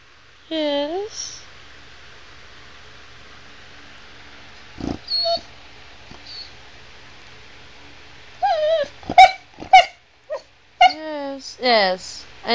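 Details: A female Chow Chow named Sugar, chatting to her owner about things to share and do: a wavering moan, a quiet stretch, then a burst of quick warbled whines and yips, while a person replies asking what happened.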